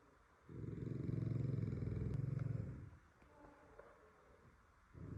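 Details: French Bulldog asleep, giving one deep, buzzing snore of about two and a half seconds with rapid fluttering pulses, then a soft pause before the next snore begins at the very end.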